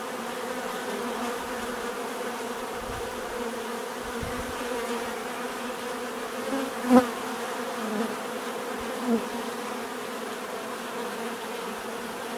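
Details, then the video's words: Bee buzzing as a level background drone, with a nearby insect zipping past loudly near the middle and another close buzz shortly after, plus faint low thumps early on. "bees therapy relaxing natural buzzing sound"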